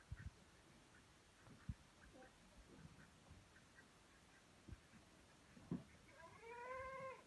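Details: A Saanen goat (Capra hircus) on a goat farm in Pune gives a single wavering, nasal bleat after a stretch of quiet knocks and thumps.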